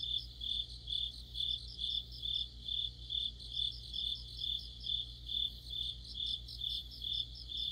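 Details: Crickets chorusing with other insects on an autumn night, their sharp high-pitched chirps repeating in a regular pulse just over twice per second, backed by a thin steady trill and low background hum.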